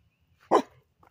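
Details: Toby, a Labrador, barks while trying to swim: one short, loud, harsh bark, with a faint sound just after it and calm surroundings otherwise.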